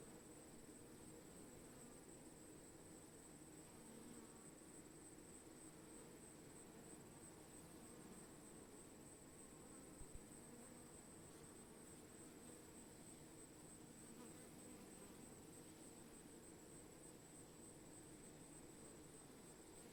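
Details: Continuous low hum of bees, a thick, even buzzing drone with layered tones that never pauses, under a faint steady high-pitched whine and one short click midway.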